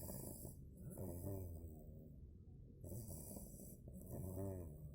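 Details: Sleeping two-month-old Cane Corso puppy named Bogemia, snoring in slow cycles: a raspy, throaty drawn-out breath, a brief hush, then another rough snore, with soft hissy airflow on each inhale.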